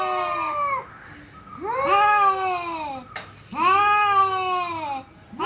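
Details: Domestic cat repeating plaintive, drawn-out meows roughly every two seconds, each rising then sliding down, with quiet gaps between.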